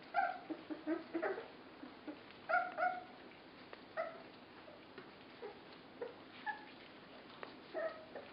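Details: Puppies 24 days old at feeding time give short, high whimpers and yelps in scattered bursts. Soft clicks and handling noises come between the calls.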